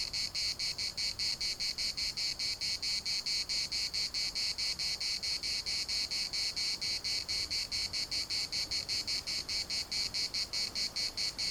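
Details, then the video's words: Cicadas in the municipal park of Larnaca produce a dense, piercing metallic buzz pulsed evenly at about four beats per second, sustained at constant loudness throughout. "CICADAS at the municipal Park Larnaca"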